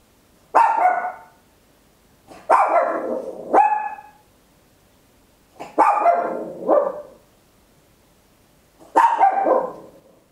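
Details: A tiny Papillon dog barking very loudly at home, recorded in stereo on an Olympus LS-11: six sharp, ringing barks, some in close pairs, spaced irregularly over ten seconds with quiet room silence between.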